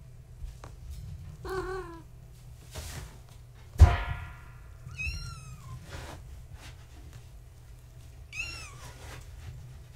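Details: Tabby mother Gaia's kittens, born March 14, 2017, at bedtime indoors: high thin kitten mews, one short wavering cry early, then a sharp thump, and two more bright falling mews spaced several seconds apart.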